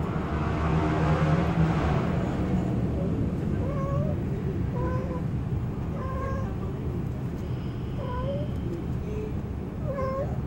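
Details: Cats mating under a parked car in an urban setting, one white with blue eyes; wavering, moaning yowls with bending pitch, repeated every second or two over a steady low rumble of background noise.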